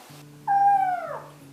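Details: Small kitten complaining during a bath, giving a single clear, steady-pitched meow that bends downward at the end, over soft continuous background music.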